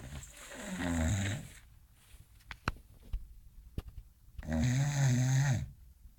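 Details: English Bulldog named Bonkie snoring while sleeping and dreaming: two long, deep, throaty snores about four seconds apart, with quiet ticks and rustles between them indoors.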